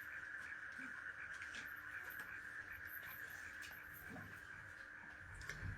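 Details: Crickets chirp in a steady, shrill chorus that runs unbroken, heard from a house whose back faces open land full of trees, in quiet surroundings that sound like late night.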